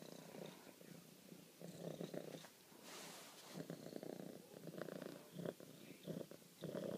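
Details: A pet female cat purrs as she loves on her owner, a deep, buzzy rumble rising and falling with each breath, broken by short gaps and a few soft rustles.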